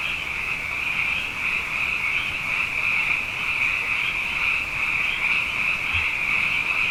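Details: Frogs in great numbers after two wet years sing through the night, an intense continuous shimmering trill of overlapping callers holding steady for the whole stretch.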